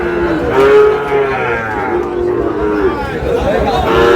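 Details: At a Cox's Bazar cattle market in Bangladesh, Sahiwal bull calves give long, steady moos that swell and fade, two or three in a row, amid constant crowd noise and voices.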